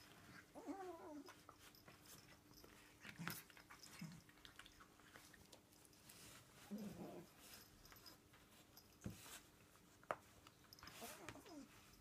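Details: Pet Bengal cat named Bailey plays frantically with a catnip pollock fish indoors, giving brief wavering mewing or chirring sounds near the start, middle and end, separated by knocks, scrapes and rustles of the toy.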